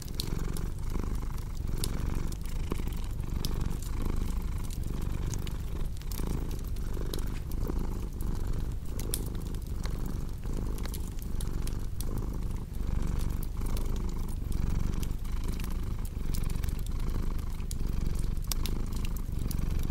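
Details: Purring cat in a relaxing fireside setting: a soft, low, droning purr with regular breathing pulses, partly masked by frequent crackles and snaps from a wood fire.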